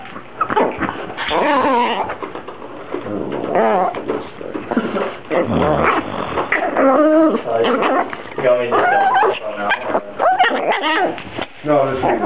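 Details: Dog making a long run of groaning, talkative moans compared to a Star Wars character or a baby: uneven bursts of warbling, up-and-down whines with pauses between, some rougher growly stretches, muffled and close.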